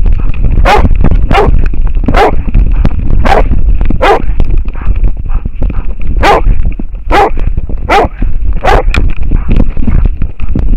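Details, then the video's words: From a harness camera on an American foxhound barking at a wild boar, loud raspy barks repeat roughly every second, broken by a short pause midway, against continuous low thumping and a faint high whine. "amerikankettukoira haukkuu villisikaa / American foxhound barking at a wild boar"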